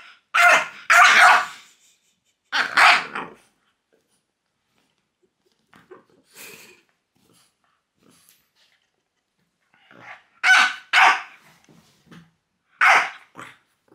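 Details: Teased by pointing fingers, the French bulldog Loki lets out loud double barks in short bursts separated by quiet pauses with faint grumbling, in an indoor setting.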